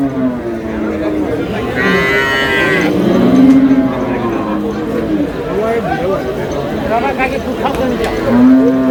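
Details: Cows with calves at Ambari cattle market in Dinajpur, Bangladesh, July 2026: low drawn-out moos rise and fall several times over a busy market hum with people talking nearby.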